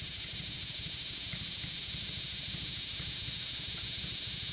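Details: A cicada on a stop-sign pole in summer, recorded about two feet away while climbing, buzzes in an ear-piercingly loud, steady, high-pitched drone with a fast, even pulse.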